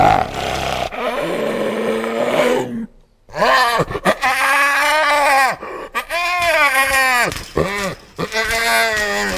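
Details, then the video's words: Hyena calling with loud, harmonic-rich vocalizations that arch and waver in pitch, given in bursts separated by brief silences and ending in rapid, rising-falling notes. "Real Hyena Sound I Sonido de Hiena Real I Vrai Son Hyène"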